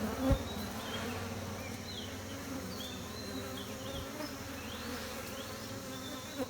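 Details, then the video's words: Bees at a beekeeping site humming steadily in a low continuous drone, with brief high chirps from small birds in the background and a short knock near the start. "Humming Buzzing Noise Of Bees"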